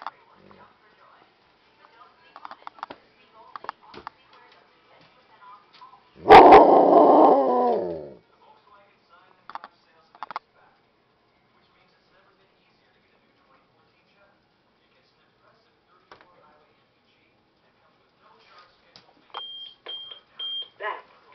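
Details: Indoors near midnight, a Husky asks to be let out with one loud, rich, wavering howl lasting about a second and a half. Quiet speech comes before it, then near silence, with a few short beeps near the end.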